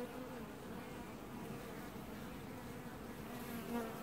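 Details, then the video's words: Honey bees washboarding at the hive in an apiary, filmed early July 2019, make a continuous droning hum, even in loudness, with a brief louder swell near the end. "Washboarding Bees & Ambient Sounds"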